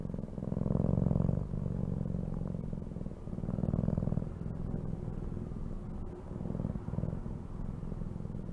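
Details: A domestic cat purring: a steady low rumble that swells and fades in waves roughly every two to three seconds, like breaths in and out, with faint clicks above and no other clear sounds.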